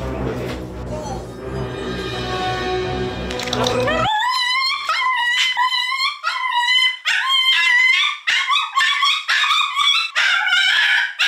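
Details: Mandu, a dog crying very loudly inside a house, so loudly that neighbours reported it, thinking he was being beaten; music plays first, then a rapid series of high, wavering yelping cries, several per second.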